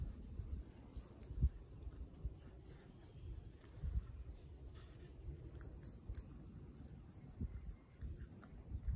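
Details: Shikoku dog named Ran eating, recorded 6 July 2022; quiet munching with scattered short crunchy clicks every second or so over a steady low rumbling background.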